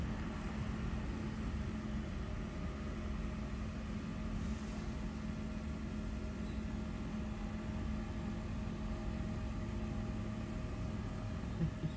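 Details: Continuous low mechanical rumble with faint steady hums, like a running engine or appliance, and no animal sound.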